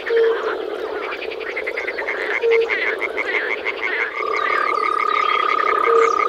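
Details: Springtime frog chorus from a Czech pond or wetland, with fast pulsed croaking and short low notes repeated every two seconds or so, a steady tone joining halfway, and birdsong faintly overhead.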